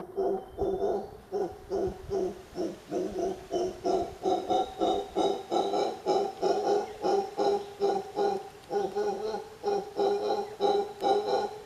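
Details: A mantled howler monkey calls in a long run of throaty, rhythmic grunting pulses, about three each second, holding a steady pitch throughout with no other clear sounds.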